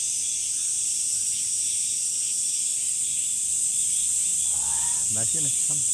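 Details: Summer cicadas fill the air with a dense, unbroken high-pitched buzzing drone that holds steady throughout, while a short low voice-like sound with a few knocks breaks in near the end.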